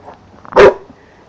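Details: Sookie, a four-month-old St. Bernard puppy, outdoors barking at a giant green caterpillar: a single short loud bark, preceded by faint soft sounds.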